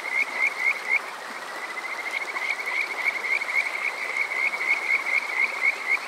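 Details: On a summer night in Yokoze, Saitama, Japan, Kajika frogs keep up a rapid, continuous series of short rising chirps, about four per second, laid over constant rushing water; captured with a TASCAM DR-05X at Water Park Shirayama.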